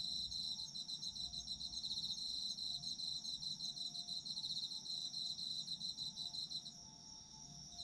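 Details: Autumn insect calls for relaxing sleep listening, shrill pulsed trills repeating steadily above a constant high hum, the chirping dropping away in the final second while the drone continues.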